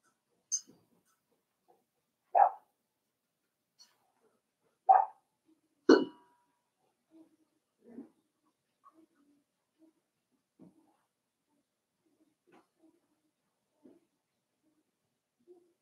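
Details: Five-week-old Cavalier King Charles Spaniel puppies from Daisy's litter in an indoor puppy pen: three sharp, high yapping barks a few seconds apart, followed by softer scattered yips and small whimpers in a quiet room.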